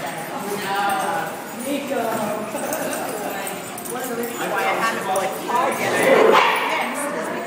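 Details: Two bulldogs playing indoors, giving a busy run of short harmonic yips and whiny barks that come quickly and unevenly, some rising, with one louder higher squeal near the end and continuous vocal noise throughout.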